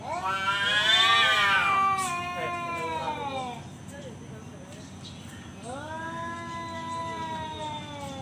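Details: Tomcat challenging a rival to fight, giving a loud, strained caterwaul that swells and then fades, followed after a short pause by a second, lower, steadier drawn-out howl; a person speaks faintly.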